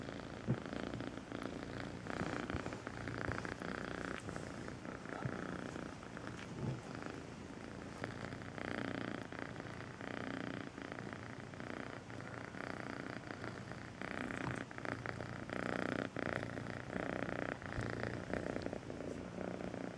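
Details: Melissa, a rescued cat first adopted as a two-month-old kitten, purrs on and off for a long stretch, a buzzy vibrating rumble rising and falling with each breath, lightly mixed with small handling noises.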